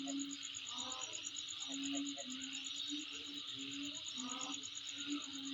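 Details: Insect calling, a continuous fast, evenly pulsed high trill over a dense shrill hiss, with a lower steady droning tone and short broken calls in the background.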